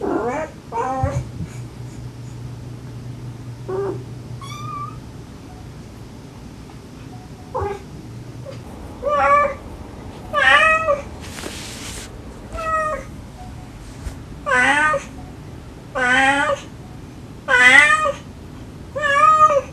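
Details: Mother cat and rescued stray kittens calling, with the kittens crying sweetly and affectionately. Roughly regular high meows repeat about every one to two seconds. A brief rustling burst comes near the middle, and a low hum sounds early on.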